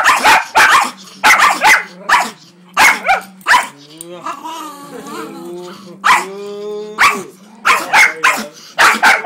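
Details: Male Jack Russell Terrier crossed with Miniature Pinscher, annoyed at being rubbed the wrong way, gives rapid sharp barks in pairs and bursts, broken by a rising, wavering growl in the middle.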